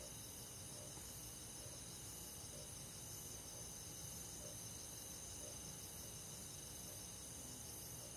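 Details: Summer-night forest insects, crickets among them, forming a dense, even wall of high pulsing trills with faint soft low notes repeating about once a second beneath.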